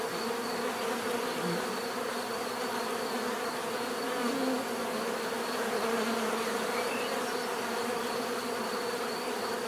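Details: Steady hum of a mass of bees, dense overlapping buzzing with occasional short louder notes from single insects flying close, volume constant throughout.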